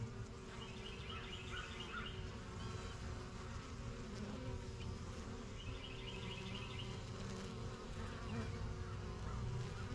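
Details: Busy backyard hive of honey bees, a new colony first kept in spring 2023, flying around their yellow box: a continuous low buzzing hum, overlaid by short repeated trilled bird phrases in the background.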